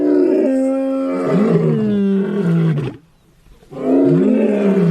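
A lion roars in long, deep, harmonic-rich bellows that slide downward, pausing briefly before another begins.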